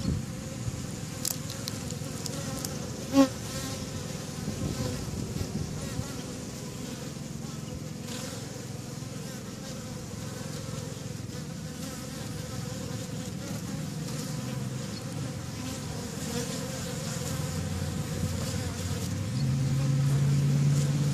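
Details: Busy honeybee activity outside backyard hives on May 1st 2013: dense, continuous low hum of many bees flying, swelling slightly louder toward the end, with a couple of brief clicks early on.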